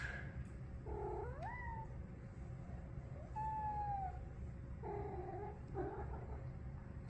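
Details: Big feral street cat sitting indoors on a couch, talking and making funny sounds: a series of short, wavering meow-like calls, some bending upward and some held level, in bursts a second or so apart over a steady low hum.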